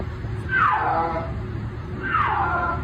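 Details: A snow leopard (Panthera uncia) gives two drawn-out, falling yowls about a second and a half apart.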